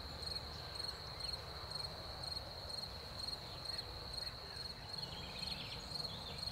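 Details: Spring crickets after the rain, high trilling song with clear chirps repeated roughly twice per second over a constant shrill drone, low background hum beneath.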